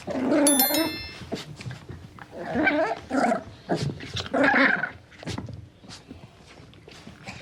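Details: Puppy growling indoors: a series of short rough growls and grumbling bursts with some higher whiny notes, irregularly spaced over several seconds, with a brief bright tonal ringing sound near the start.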